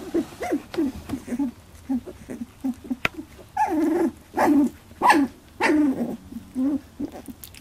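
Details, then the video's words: Labradoodle puppies at 18 days old in their first fight over milk, giving short high whines, squeaks and yelps in a rapid irregular series, several pups overlapping, louder squealing bursts in the second half. "Labradoodle puppies 18 days 1st milk fight"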